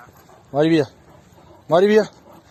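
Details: Yellow Sarabi, an Iranian mastiff and nine-year-old champion, gives two deep, full-throated barks roughly a second apart, each short and rich in overtones, against a quiet background.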